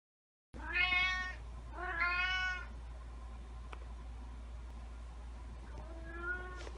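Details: Black cat meowing. Two loud, drawn-out meows follow each other closely, then a quieter, shorter meow comes after a pause, over a steady low hum.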